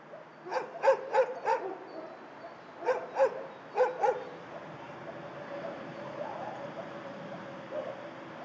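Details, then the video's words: Shelter dogs barking: a quick run of four sharp barks, then two more groups of paired barks, followed by a softer murmur of distant dogs and kennel noise. "Tło dźwiękowe schroniska dla psów"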